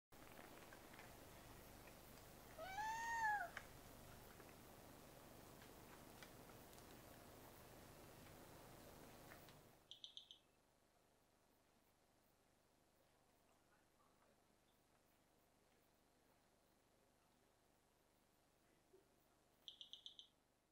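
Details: A kinkajou (Potos flavus) at San Isidro, Ecuador, gives a single arched, squealing call with a rising then falling pitch over steady night noise.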